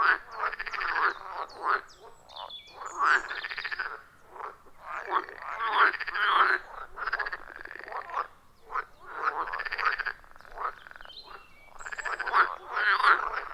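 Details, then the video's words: Frogs calling in a loud chorus at a wild forest pond, recorded on iPhone 14 Pro with Shure MV88+; dense croaking bursts in waves every few seconds, overlapping voices, no music or talking. "30 Minutes of Frog Sounds at a Forest Pond"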